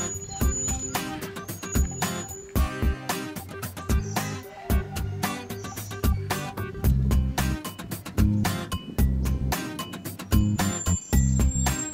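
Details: Upbeat funk-style music with steady drum hits and bass fills throughout, with no animal sound.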